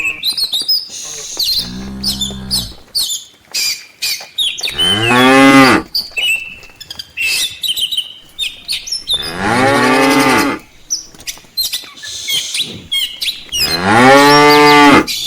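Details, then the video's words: Village cows returning in a line to the farm pen in the afternoon, some lagging behind to graze: a low moo, then three long loud moos spaced about four seconds apart, with birds chirping and twittering throughout. "suara sapi desa"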